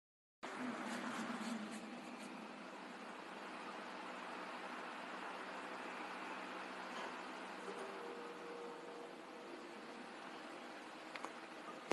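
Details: A steady broadband hum, like a running vehicle or fan, fills the whole stretch, with a faint thin tone late on and no animal voice.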